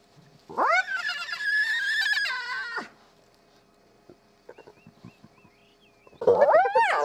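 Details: Spotted hyena mother and cubs at a den in Kruger National Park, South Africa, the returning family sparking a noisy interaction. A long sustained high whine rises and holds for two seconds, quiet soft clicks and faint chirps follow, then loud rising whoops.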